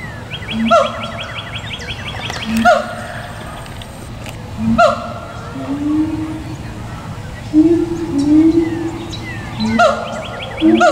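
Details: At least two siamangs at a zoo, calling on 2 April 2017, give loud, ringing hoots repeated every couple of seconds, then slurred rising whoops; their calls carry across the zoo.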